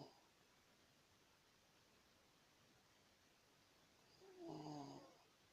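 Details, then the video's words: A pet dog snoring: a long stretch of near silence, then one short, nasal snore with a buzzy harmonic tone lasting about half a second near the end. "Моя собака храпит"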